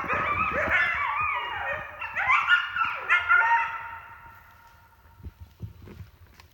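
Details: Coyotes that have surrounded a camp give a burst of wavering howls and quick yips that swoop up and down, a long falling howl trailing off near the middle, then the chorus fades to near silence with faint low thumps.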